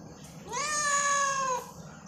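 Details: On a rainy farm day a domestic cat gives one drawn-out meow, rising quickly then holding a level, richly harmonic tone for about a second before dropping away.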